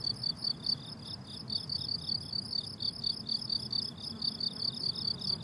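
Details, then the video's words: Meadow crickets in summer sing shrill, high-pitched pulsed chirps in quick succession, a steady rhythmic train of short bursts above a faint low-frequency hum of ambient noise. "Relaxing Cricket Sounds on a Summer Meadow"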